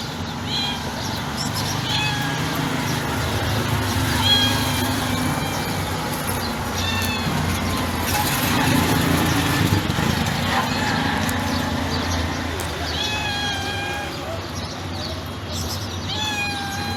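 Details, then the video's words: Gentle white stray female cat found by trash cans near a building meows repeatedly: short, soft, tonal mews with a falling pitch, spaced irregularly a few seconds apart over steady noise with a passing vehicle-like rumble. "The sound of a white cat melts the heart"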